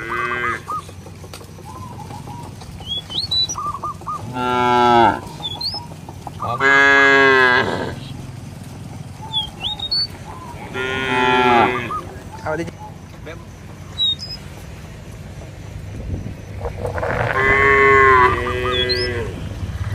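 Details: Cattle roaming a village field, lowing to call companions back to the barn: four long, deep, harmonic moos spread across the stretch, some rising and swelling. Short bird chirps and whistles sound between them over a low rural hum.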